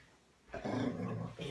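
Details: Dog growling angrily while playing with its owner indoors; a low, rough, steady growl begins after a short pause and holds for about a second, with no other sounds.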